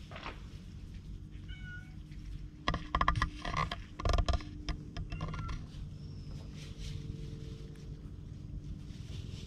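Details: Affectionate stray cat on a cat island, GoPro HERO8 recording: a few brief meows early and mid-clip, broken by loud handling thumps and rustling, with a low background rumble throughout.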